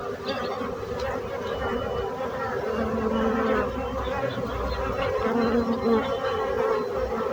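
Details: Bees buzzing steadily as a dense, layered drone of many overlapping wingbeat tones, with a few individual buzzes briefly rising and falling in pitch over the hum.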